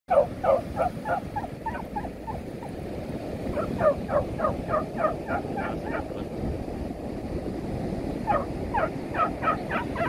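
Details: Smudge, a female beagle, yaps while chasing and playing with a number of other dogs on a beach. Rapid high yaps come in quick bursts of several, with short pauses, over a steady roar of surf and wind.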